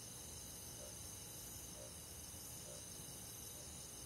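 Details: On a summer night in the countryside, crickets and other forest insects keep up a constant high, finely pulsing trill chorus, with faint soft lower notes recurring roughly every second.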